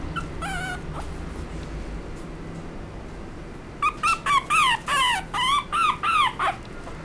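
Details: Small Chihuahua–Shih Tzu mix dog, Chihuahua father and Shih Tzu mother, giving high, tonal whining yips: one short cry early, then about eight quick falling-pitched whines in a rapid run near the end, over a quiet background.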